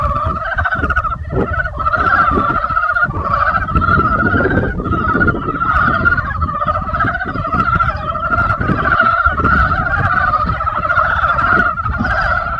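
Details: Frogs in spring: a dense, unbroken chorus of many pulsing croaks layered over one another, steady throughout, over a low background rumble.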